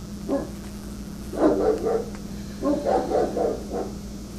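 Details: An angry Rottweiler gives deep, rough barks in two quick bursts at construction workers trimming branches near telephone wires, warning off intruders.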